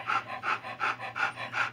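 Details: Newborn Alaskan Noble Companion Dog litter of six males and three females: five even breathy pants in under two seconds, each a soft huffing burst over a constant low hum.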